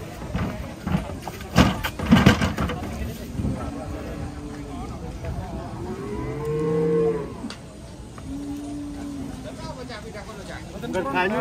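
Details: Cattle raging and scared of water, later lifted and carried: loud clattering knocks come first, then arched, rising-and-falling moos around the middle, and a shorter flat moo after, with background noise.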